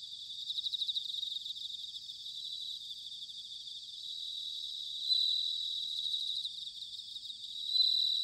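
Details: Bell crickets in autumn, Sanuki, Chiba, Japan: rapid high pulsed chirps over a dense insect chorus, with pure ringing notes standing out around five seconds and again at the end.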